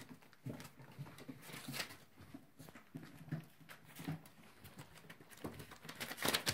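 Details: Playing chocolate Labrador Retriever puppies make soft grunts, little growls and brief whimpers amid scuffling noises.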